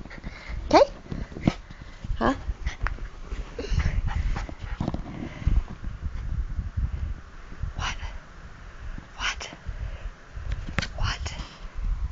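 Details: Excited Bichon Frise at bedtime, pouncing on hands and feet indoors; low throaty growls with short whimpering squeaks and snorts, broken by bedding rustles and a person talking to the dog.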